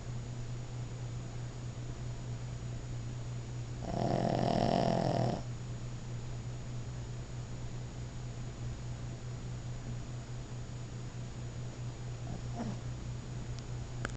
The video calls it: Snoring Boston terrier